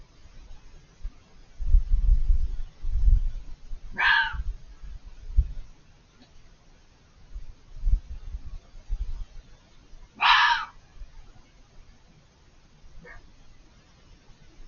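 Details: A fox out of sight behind a hedge at night gives two harsh, hoarse screams several seconds apart over a low, rumbling wind; it kept screaming for over five minutes.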